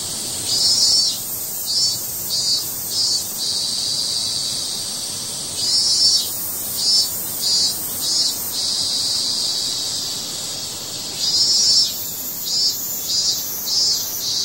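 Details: Cicada crying, a shrill high-pitched buzzing drone that runs without pause and swells into louder pulsing bursts about once a second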